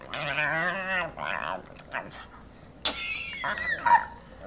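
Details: Excited pug making odd alien-like noises, as if about to speak: a long wavering whine with stacked harmonics, a short quieter moan, then a sharp click and brief high squeaky yelps.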